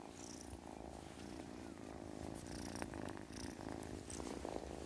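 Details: Kitten purring steadily, a continuous low rumbling drone with a fine pulsing texture, plus scattered soft clicks and rustles from handling close to the recorder.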